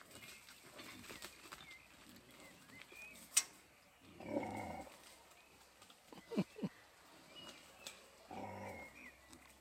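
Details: A grumpy female wild boar arriving with her piglets gives low, rough grumbling grunts in two separate bursts, with faint birdsong behind, before vanishing into the woods.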